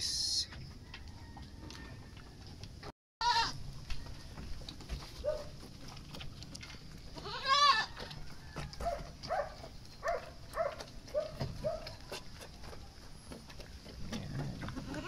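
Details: Goats given wet azolla feed, bleating during feeding: one loud, wavering, strongly harmonic bleat near the middle, followed by a series of shorter, quieter bleats over a steady background hiss with scattered clicks and rustles.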